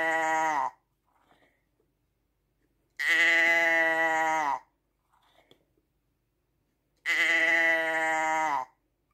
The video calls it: ASMR Schaafgeräusch 1 Stunde Sheep sound no speak just listen